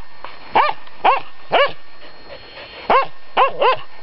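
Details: A Finnish Spitz confronts a raccoon dog with bright, sharp barks, about two a second in bursts, including a quick double bark near the end.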